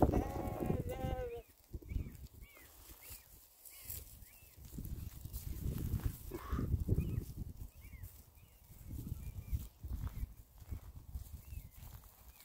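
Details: Sheep grazing with cows on a lakeside meadow: one loud, quavering bleat lasting over a second opens the recording, followed by quieter low rustling, chewing-like noise and faint short high sounds.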